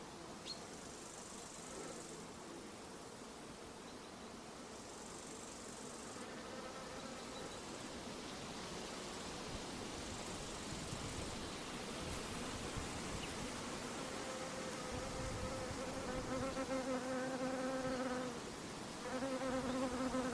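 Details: Mosquito buzzing: a steady, hiss-like drone runs throughout, and a clearer humming whine with stacked overtones rises out of it in the last few seconds, briefly dropping out once before returning.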